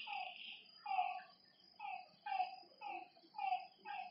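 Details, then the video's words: Frogs calling at night by a lakeside: short, harmonic, croaking notes given in clusters about every half second to a second. A steady, high insect trill runs underneath the whole time. "Lakeside night creatures and frog sounds"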